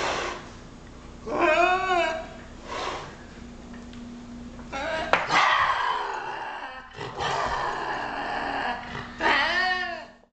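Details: Lynx screams, two yowling, arched caterwauls at the start and end, set over a steady low hum and broad rushing noise that fills the middle of the recording.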